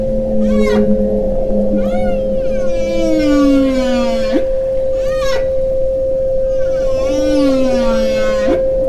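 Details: Whale song of long, sweeping moans and rising whoops over a steady, unbroken 528 Hz pure tone.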